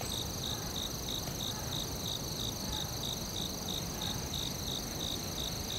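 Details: Forest cricket chorus: bright, clipped chirps repeat at a quick steady pace, about three per second, laid over a constant thin high ringing drone and soft low rumble.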